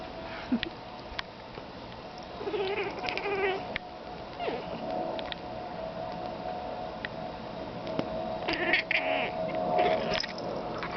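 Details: Feliciano, a pet cat, tries to talk to the crows outside, giving short bursts of chirpy, chattering calls in two clusters, early and late, over a steady low background hum, with faint clicks between.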